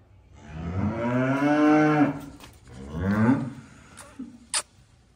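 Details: Young calves giving two drawn-out moos, the first long and steady, the second shorter with a rising pitch, followed by a faint brief call and a sharp click.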